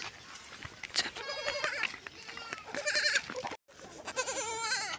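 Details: Goat during milking, giving repeated wavering, quavering bleats with a trembling pitch, several in a row over five seconds, with a man's voice calling out in between and brief handling noise.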